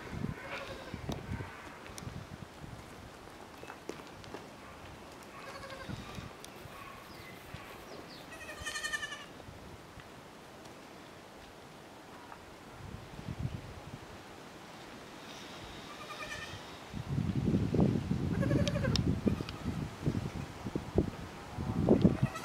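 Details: Playtime for Niño, a miniature goat buck, and his kids on a French farm: scattered short harmonic bleats, several in the first half and a cluster around the middle, among louder knocks, scuffling and rubbing noise.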